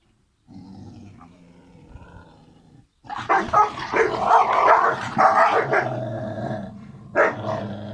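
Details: Kangal puppy siblings growling and yapping, a quiet low rumble at first, then a dense burst of rough overlapping growls and snarls with a sharp yelp near the end.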